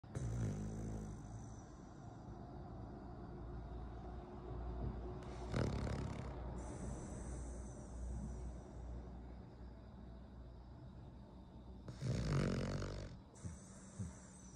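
A Cavalier King Charles Spaniel snores with low, rumbling breaths and occasional louder snorts.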